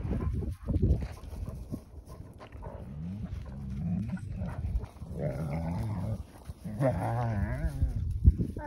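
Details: Adult wolfdogs, with a puppy, as the adults try to teach the young one manners; low rumbling growls throughout, then wavering, whining yelps climbing higher near the end, with a person's voice in the background.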